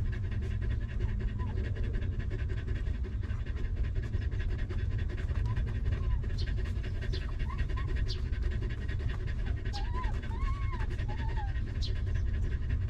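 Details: Stray mother dog with her litter of puppies, living rough before being given shelter and food; fast rhythmic panting over a heavy low rumble, with thin rising squeaks from about six seconds on and brief high chirps.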